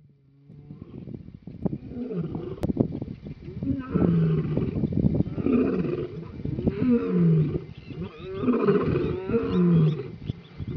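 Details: Lions at Goas Waterhole, Etosha, Namibia, roaring in frustration after a herd of impalas ran away; deep, groaning roars swell in repeated bouts, each ending in lower grunts, overlapping voices of several lions outdoors.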